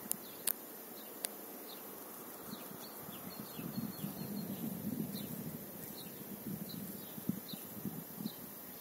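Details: Honey bee on a trip to the field among apple and calendula flowers at Vikos; a low droning buzz swells for several seconds mid-clip, then fades, with sharp clicks early on and faint high bird chirps throughout.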